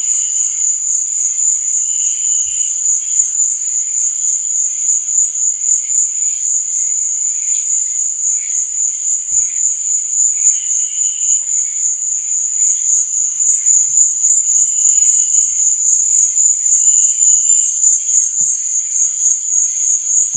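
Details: A night cricket recording for relaxation, with a continuous high-pitched pulsing trill throughout, occasional short lower-pitched chirps from other callers and a few faint soft clicks.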